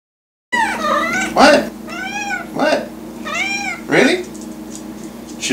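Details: Hairless cat meowing to be fed: a series of loud, drawn-out, arching meows with bright harmonics, about four in five seconds, while a person talks about feeding it.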